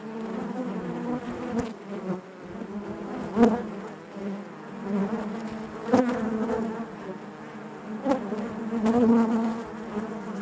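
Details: Loud, dense buzzing of honey bees inside the hive, a continuous low hum punctuated by several brief clicks and bumps, growing fuller toward the end.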